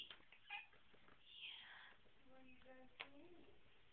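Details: Buddy, a sleepy pet cat indoors, gives a short harmonic meow-like call that rises at the end, with a person's voice greeting him and soft handling noises.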